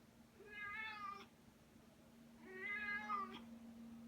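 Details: Female pet cat holding her favourite toy in her mouth makes a strange noise: two drawn-out muffled meows, each about a second long, with a steady low hum indoors.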